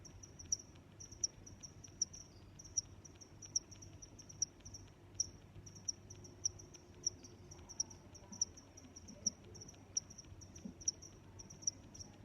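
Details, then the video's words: Crickets chirping in a relaxing nature soundscape, sharp high chirps evenly spaced about every three-quarters of a second throughout, with a faint continuous trill and low rumble underneath. "Sounds of Crickets"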